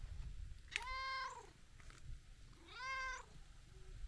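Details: Tabby-and-white cat, kneading and licking, gives two drawn-out meows about two seconds apart, each swelling then fading, with soft low rumbling noise filling the quiet gaps.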